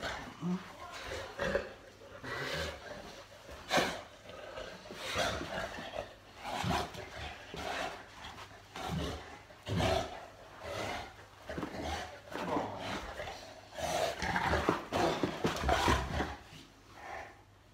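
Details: Molly the Boerboel at play with her owner one night at home: a long run of deep, throaty growls and grumbling roars in uneven bursts, with some human voice mixed in.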